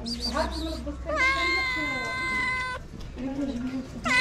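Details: Hungry cats at a small Moroccan kitten shelter, crying for food: short high mews, then a long steady meow held over a second, followed by softer murmuring and a rising cry at the end.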